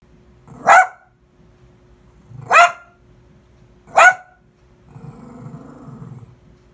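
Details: Dog giving three single sharp barks spaced one to two seconds apart, each preceded by a low growl, then a softer low rumbling sound.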